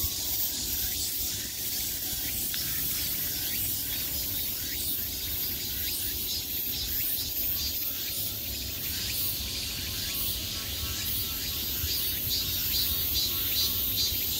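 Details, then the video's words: High summer cicada chorus, a bright continuous buzz with a fine pulsing texture, like rapid rhythmic throbbing within the drone, steady in volume throughout. "매미소리를 들으며 휴식. Cicadas's buzzing sound"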